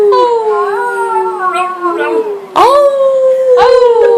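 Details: Family dog indoors howling along with its family; long wavering howls that slide slowly downward, with overlapping higher howling voices joining in and a fresh loud howl starting near the end.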